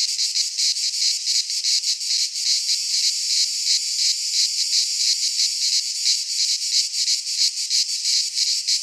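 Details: Several cicadas sing together in a Greek pine forest in midsummer; a loud high-pitched rasping drone beats steadily in fast pulses throughout, with no birds, wind or voices.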